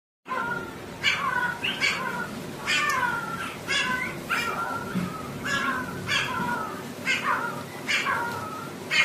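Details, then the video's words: Shih Tzu puppy crying: a run of high, whiny cries about once a second, each sliding downward, with a slightly harsh edge and steady low room noise underneath. "Crying Puppy"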